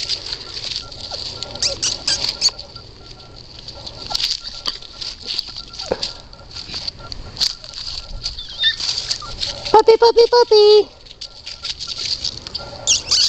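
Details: Red Standard Poodle puppy letting out one brief, nasal, tonal whine about a second long, after a stretch of pattering and scrabbling noises with steady background hiss.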